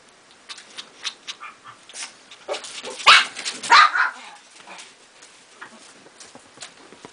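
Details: A small Pomeranian gives sharp, high yaps, with two louder barks near the middle.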